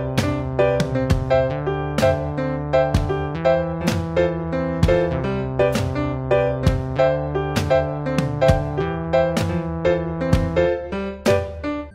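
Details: Solo piano music plays with steady rhythmic chords and a repeated melodic figure.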